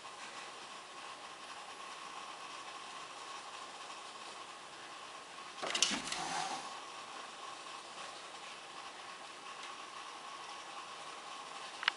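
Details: Steady indoor mechanical hum with a short clattering burst near the middle and a sharp click at the very end; no animal voices.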